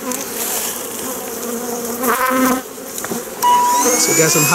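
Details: A Western honey bee (Apis mellifera) colony gives a steady, droning buzz with a low hum and layered overtones. The colony is being removed from a top-bar hive first opened in 14 years, and its frames are heavy with honey.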